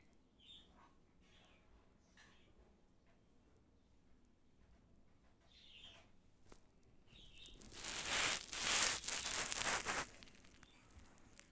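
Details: Baby squirrel after bathing: short, high chirps come about every second or two for the first seven seconds. Then a loud burst of broadband rustling and rubbing takes over near the end.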